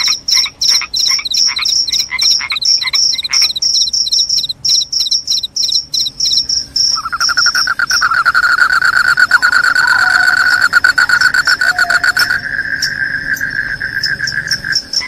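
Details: Cricket sound said to keep rats away and cause sleepiness: quick high chirps at first, then a loud continuous lower pulsed trill dominates the middle, with high chirping resuming faintly at the end.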